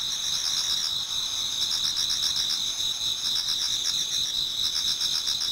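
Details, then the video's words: Towards dawn in autumn, numerous insects sing together in a Japanese garden, producing an unbroken, piercing high chorus with fast rhythmic pulsing chirps layered over a steady ringing tone. "Autumn Insects voice Towards dawn"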